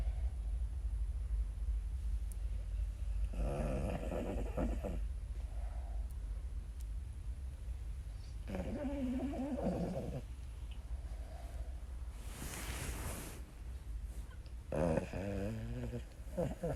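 A Boston Terrier snores loudly in long, rough, rumbling bursts a few seconds apart.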